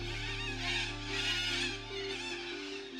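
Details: Steady instrumental music with sustained tones and a bright shimmering upper layer; no animal sounds heard.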